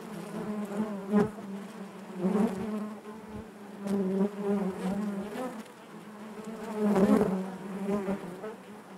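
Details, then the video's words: A natural hive of honey bees buzzes in a rich, low hum whose loudness swells and ebbs every couple of seconds, overtones stacked above the steady droning base. "bees therapy hive natural buzzing sound"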